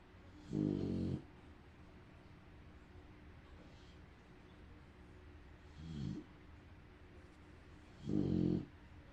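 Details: A female bulldog snores loudly while napping, with deep rattling breaths coming every few seconds.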